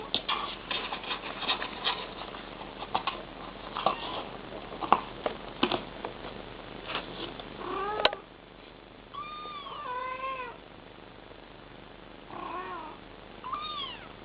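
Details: Mother cat talking to kittens: a stretch of clattering and rustling noise, then a series of short arched chirping meows and trills in quick clusters, separated by quiet pauses.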